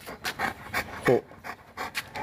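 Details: Boerboel, a South African Mastiff kept as a pet in Egypt, panting in quick, breathy bursts about four times a second, with a brief voiced sound midway and a person talking nearby.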